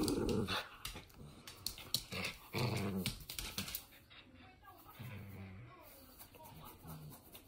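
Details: Toy Fox Terrier at play gives a few louder growls at the start, then softer, fading growls and quiet rustling toward the end.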